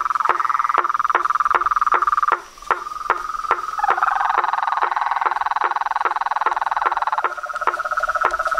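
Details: Amphibian chorus of frogs and toads: rapid regular knocks over a continuous rattling trill, which swells midway into layered buzzing voices before settling again.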